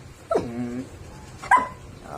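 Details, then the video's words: 'Talking' Belgian Malinois puppy, six months and 19 days old, in Taguig: a drawn-out whine sliding downward in pitch, then after a pause a brief higher yelp, with a person speaking Filipino nearby. "Talking Belgian Malinois #6 months and 19 days old puppy"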